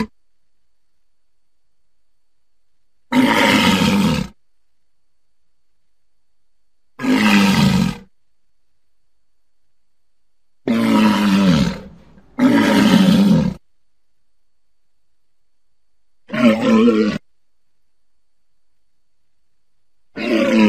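A walrus gives loud, rough roaring bellows, each about a second long, separated by silent pauses.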